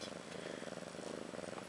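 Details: Continuous rhythmic purr at home near Ashley, a roughly one-year-old cat who has just given birth to two female kittens; a throbbing low-pitched drone rising and falling with each breath, mild noise floor.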